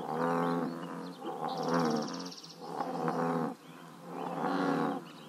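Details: American bullfrogs croaking at a scenic pond in Northern California, giving deep, resonant, drawn-out croaks in a slow repeated series.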